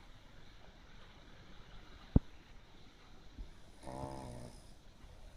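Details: Pekingese sound asleep after playing too hard at a dog run in the daytime, snoring like a frog: one raspy, buzzy snore of under a second near the end, after a sharp click, over quiet room hiss.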